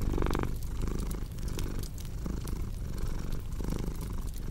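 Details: Low, continuous purr of a pet cat, rising and falling with each breath in slow pulses, layered over the snapping and crackling of a fire burning nearby.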